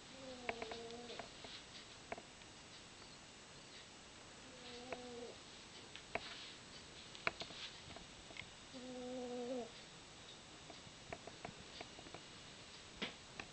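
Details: Sleeping house cat Izzie, described as fat, snores in a small room. Three whistly, humming breaths arrive roughly four seconds apart, the last one longer, with faint ticks and shuffling noises between them.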